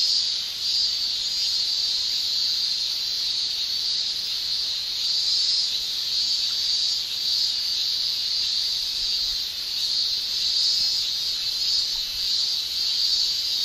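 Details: Japanese summer cicada chorus, males producing tymbal song, heard as a constant intense high shrilling with subtle wavering surges and no gaps or other sounds.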